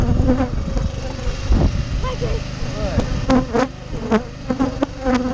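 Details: Rescued honey bees being fed sugar syrup from a feeder setup: a steady low droning buzz with a hum-like pitch, broken by short wavering tones and a few clicks and knocks nearby.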